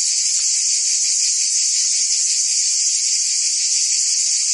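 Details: Many cicadas sing in the Provence summer heat in France, making a steady high-pitched rasping whine with a rapid flutter inside it. No other animals or noises break through.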